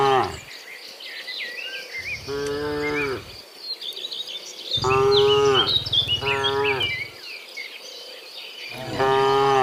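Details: Cows mooing in the morning while returning from the field to the pen: several long, loud, harmonic moos, some falling in pitch, spaced by pauses, over a steady background of insect chirping and scattered bird calls.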